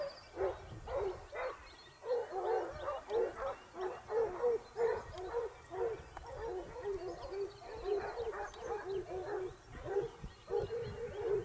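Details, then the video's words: Pack of Basset Hounds of the Topsfield Lebrera pack in Spain, hunting in their second season, 2015-16. Many voices bay and yelp together in a steady, rhythmic chorus, several bursts each second, overlapping for the whole stretch. "Basset Hound Pack (jauria)"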